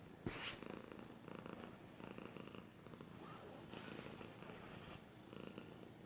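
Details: Domestic cat purring close up in a steady low pulsing rumble, with sharp broadband scratching bursts near the start and again around four and five seconds.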